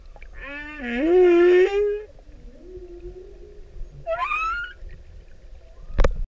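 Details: Humpback whale male serenading a female, Pacific: one loud rising harmonic moan that levels off, a drawn-out lower tone, then a quick high upward whistle, ending in a sharp broadband click.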